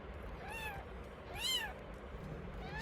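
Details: Domestic mother cat during the birth of two kittens on New Year's Day 2024. A faint short meow is followed by a louder rising-and-falling meow, and another call starts just as the sound ends. A soft background hiss runs throughout.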